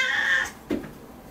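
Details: Kkotjjang, a domestic cat resisting more than usual while its claws are trimmed indoors: a brief, high, level meow that fades after half a second, then a soft thump and quiet.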